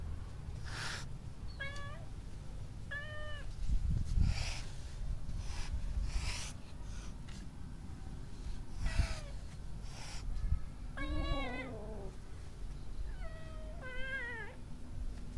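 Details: Orange kitten that hisses whenever someone tries to touch it, visiting a house at mealtimes to be fed; short breathy hiss bursts repeat through the recording, mixed with several arched, wavering meows over a low background rumble.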